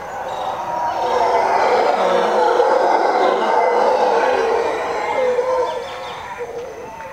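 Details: Troop of howler monkeys howling around 5:30 am from jungle across the road on the edge of Zancudo, Costa Rica; dense, sustained overlapping roars that swell, hold loudly, then ease off.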